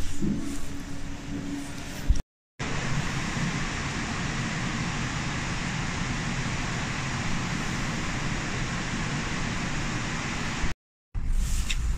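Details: Loud, continuous roar of road traffic is broken by two brief silent gaps, with no animal voice.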